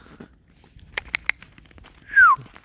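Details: Alice, a tame fox, out in falling snow, luring her companion toward a field: crunching footsteps creak in the snow, then one loud, short whine slides downward at about 2.2 seconds.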